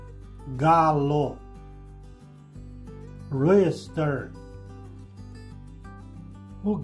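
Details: Sheep on a farm bleating twice, each bleat a wavering, quavering tone lasting under a second, heard over steady background music.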